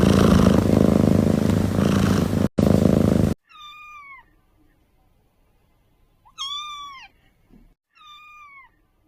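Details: Kittens meowing: after a burst of loud rough noise, three clear, high meows sound, each sliding down slightly, separated by short pauses in a quiet room.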